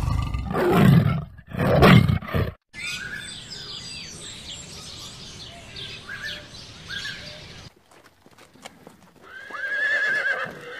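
A horse snorts twice in deep, rough blasts, then a high, quavering whinny falls away at the end. A busy chatter of other animal calls fills the middle.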